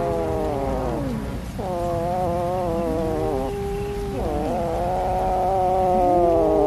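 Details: Cat waiting for a meal of fish, crying in drawn-out wailing meows that overlap, several sliding downward at their ends, against a soft low-frequency hum.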